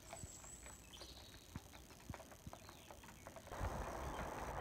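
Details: Pair of Clydesdales, Cyril and Monty, driven in harness by their owner visiting from Scotland: soft, uneven clip-clop hoofbeats roughly four per second over a low rumble, growing louder and rougher near the end.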